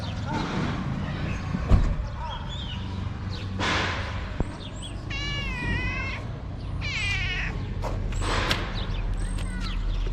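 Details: Hungry tabby cat talking to its carer in a cute voice at a small Moroccan shelter for abandoned kittens: several wavering, bending meows in quick succession, with the carer's voice, rustling and a steady low hum.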